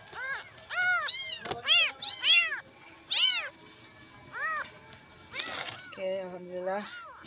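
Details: High-pitched crying from a kitten looking for its mother after a night alone, trembling: clusters of sharp, arched meows in quick succession, then a pause, with a brief lower human voice near the end.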